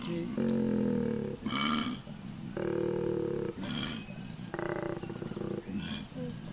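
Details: A wild koala in woodland, in the morning, gives deep, rumbling, belch-like grunts broken by rasping, snoring intakes of breath.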